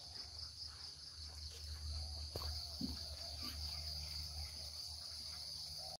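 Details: Cricket sound in a relaxed, natural countryside home setting: a steady shrill high-pitched trill runs continuously over a low droning hum, with one brief knock and soft rustles partway through.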